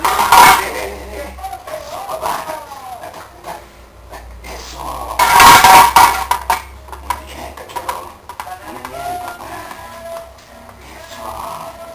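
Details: Music and voices mix with the clatter of dishes and cutlery, loud bursts rising near the start and around five seconds.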